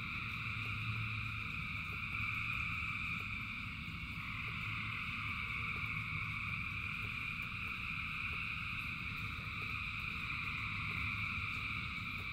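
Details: Thousands of frogs singing together in the rain; unbroken high-pitched trilling in several stacked bands swells and fades slightly, with light regular clicks and a steady wash of falling rain beneath.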